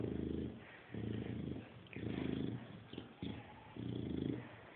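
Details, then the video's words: Grunting Chow Chow that sounds like a pig: long low rasping grunts of about half a second, one every second or so, with a faint squeak and a click in a pause. "Чау чау хрюкает Chow chow grunt like a pig Chow chow grunzen wie ein Schwein"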